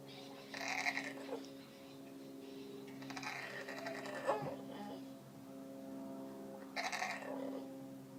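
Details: Lily, a female Aussie Bulldog pet, makes odd Wookie-like noises: three short, harmonic, bleating grumbles, each under a second or so, spaced a few seconds apart over a steady background hum.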